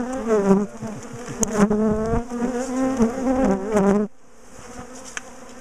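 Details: Honey bees from an aggressive colony swarming loudly as their top bar hive is taken apart and moved; steady droning hum with shifting pitches, a sharp knock, then the buzz cuts off to a quieter background.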